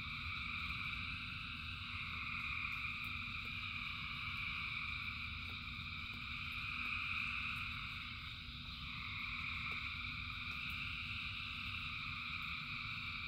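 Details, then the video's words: A rain-soaked chorus of thousands of frogs: layered high trilling that never pauses, dipping briefly mid-clip before resuming, above a deep steady wash of falling rain with occasional ticking drops. "Frogs in Rain 2 Hours of Frogs, Thousands of Frogs Singing"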